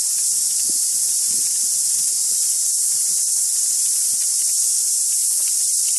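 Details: Cicadas in full deafening chorus, an intense, even, sizzling drone that never breaks, over quiet patches of faint background bird calls.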